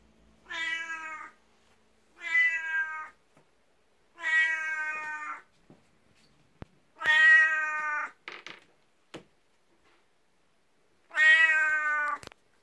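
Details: Twelve-year-old black house cat Beni-chan, jealous of a 19-year-old elder cat, meows while rubbing against legs for attention indoors in the morning; five loud, harmonic meows, each about a second long, spaced roughly two seconds apart.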